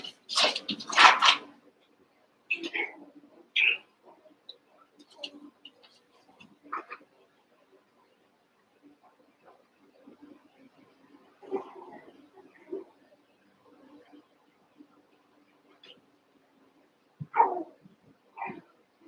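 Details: Cavalier King Charles Spaniel puppies from two litters, Daisy's six and Robin's two, playing after being put together: shrill yelps open the clip, then softer scattered whines and squeaks with quiet gaps, and two sharper cries near the end.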